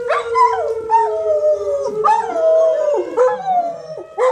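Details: Several dogs howl in response to a siren test, wavering drawn-out cries rising and falling over a steady, unchanging siren tone, with short yelping breaks between howls.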